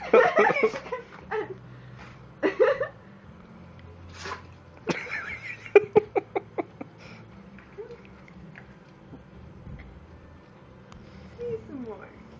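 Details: A brindle female Boston Terrier sneezes in short, sharp, breathy bursts, smashing her face on the floor, which sets off further sneezes, with a person speaking softly nearby.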